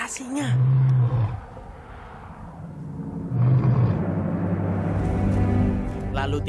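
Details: A wild lion on a savanna hilltop at sunset, near a pride checked hours after a veterinary procedure, gives deep, rumbling, moaning roars about a second each, under soft music, before emerging from bushes; a person speaks briefly.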